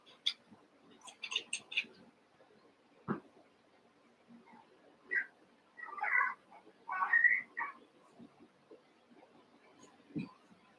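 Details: Cavalier King Charles Spaniel puppies, Daisy's six merged with Robin's two, playing together in the evening; a few short, rising whimpers and yelps cluster mid-way, framed by sharp clicks and scuffling taps.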